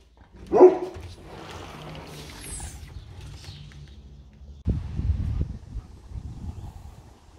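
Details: One of two pet Bernese Mountain Dogs, young Olly and nine-year-old Albert, lets out a single loud, sharp bark near the start, followed by softer low grumbles and shuffling in a quiet home.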